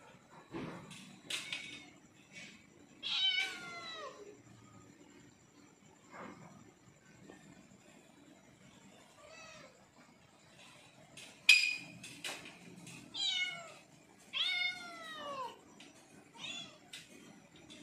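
A hungry leopard cat gives high, drawn-out meows that slide downward, begging for food.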